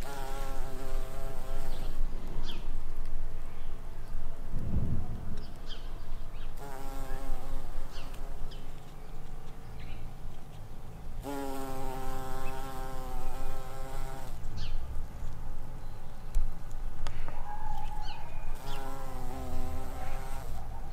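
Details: Spring buff-tailed bumblebee queens searching for nectar and pollen: deep humming wingbeat buzzes come and go in three passes, at the start, in the middle and at the end, with quieter rustling outdoor ambience between them.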